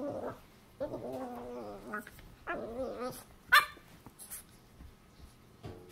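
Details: A male Boston Terrier puppy gives frustrated, wavering whines and yelps in short bursts while repeatedly trying and failing to squeeze under a futon.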